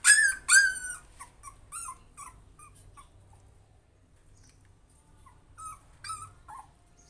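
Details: Puppy trying to overcome its fear: two loud, high, harmonic yelps open, followed by a string of softer whimpers and short whines that fade to near silence before a few more whines near the end.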